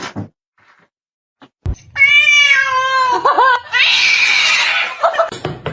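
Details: Domestic cat in a fight, from a funny pets compilation: a drawn-out, wavering yowl with rich overtones, then a harsh, noisy hiss-like burst, with abrupt cuts between scenes.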